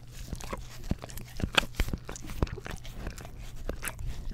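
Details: Close-miked on a Blue Yeti stereo microphone, a pet English Cream Golden Retriever works its tongue over an Orapup tongue cleaner brush, giving quick wet slurps and sharp clicky smacks in irregular bursts above a faint steady hum.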